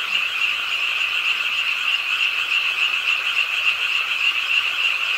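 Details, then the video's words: Frogs at a pond in Suwon's Ingye Art Park, South Korea, croaking with the nighttime rain; dense, even, shrill chorus of rapidly repeated notes, hiss underneath. "비오는 밤 개구리소리"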